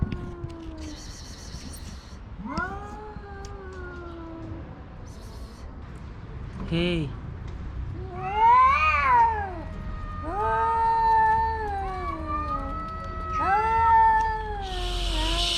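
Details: Rival stray male cats yowling at each other in a standoff over a female; rising then falling wails, some sharply arched, come in bursts with short gaps, a person's voice and rustling briefly audible.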